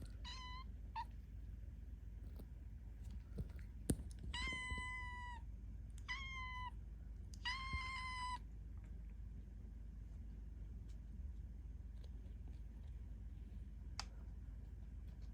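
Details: Hungry kittens at a cat volunteer shelter in Tama City, Tokyo, calling for food: a series of high harmonic meows around the first eight seconds, some drawn out and level, then quiet room noise with a few clicks.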